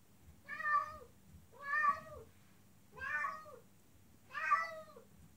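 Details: Female cat in heat calling to a male outside: four drawn-out, wailing meows, each rising then falling, spaced about every one and a quarter seconds, with a low hum beneath.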